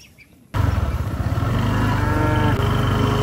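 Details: Tame cattle running toward their barn during rain, with a deep, drawn-out lowing that starts abruptly and holds steady, pulsing at a low pitch over a continuous background rumble.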